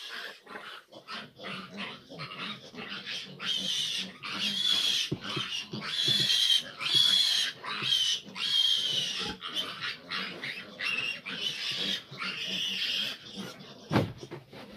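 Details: Fifteen large piglets crowding a sow that struggles to nurse; loud overlapping high-pitched squeals in bursts, with short pauses and scattered low grunts throughout.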